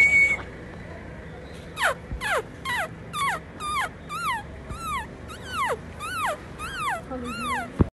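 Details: Saint Bernard puppies in India give a steady run of high, whiny whimpers. Each one slides downward in pitch, and about a dozen come in quick succession, roughly every half second, over a quiet indoor background.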